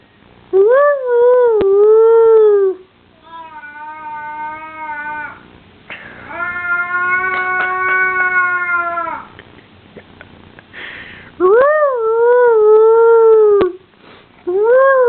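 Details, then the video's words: Pet dog producing wavering howls mixed with softer, flatter whining notes at a steady pitch, then two more loud rising-and-falling howls near the end, recorded indoors with faint background clicks. "Funny dog sounds"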